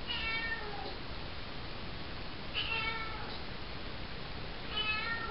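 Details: Female calico kitten, four months old, meowing at night while in a bathroom, her call resembling "hello"; three clear, bright meows, each short and slightly falling, spaced roughly two seconds apart, with steady room hiss.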